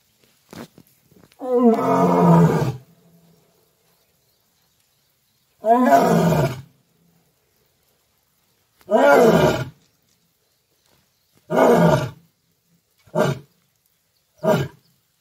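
A lion roars in a bout of deep, rasping calls that grow shorter toward the end.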